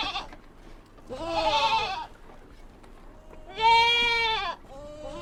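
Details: Kid goats on a mountain farm bleating repeatedly: a brief cry at the start, a wavering bleat of about a second, a softer call, then a long loud bleat and a short trailing one.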